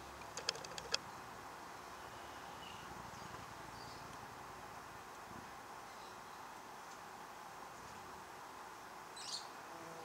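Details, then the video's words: Australian native bees active at a log hive in Ipswich, Queensland, in the early morning; a steady, diffuse buzzing hum runs throughout, with a few sharp clicks near the start and faint distant bird chirps. "Australian native bees log hive early morning activity"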